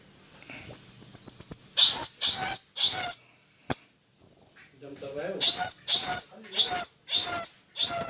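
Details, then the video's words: Baby marmoset, a pet offered in India, giving very high, thin, piercing chirps: a fast trill of short notes, then a series of sharp squeaky calls repeated roughly every half second, with a brief human voice in between. "Marmoset Monkey Baby"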